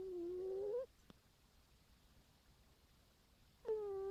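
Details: A cat snores with a whistling, tonal note that rises slightly in pitch. Two such breaths about three seconds apart are separated by near silence, with one faint click in between.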